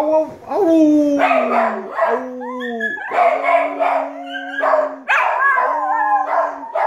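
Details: A puggle, a rat terrier and a dachshund-pug cross howl as a group over food left uneaten, with the owner howling along. Sliding, drawn-out howls rise and fall over a steady low human tone.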